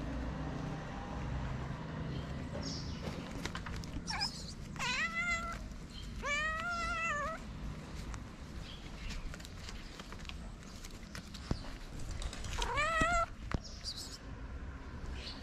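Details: Stray street cat in its favourite spot, waiting for love and food, gives three drawn-out harmonic meows around four to seven seconds and another near thirteen seconds, over steady low traffic rumble and faint clicks.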